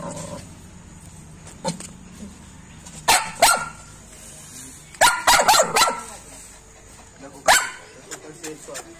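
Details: Lhasa Apso. A small dog, a Lhasa Apso, barks in short, sharp, fairly high yaps, some alone and others in a rapid cluster of four or five. A faint human voice murmurs in the background between the barks.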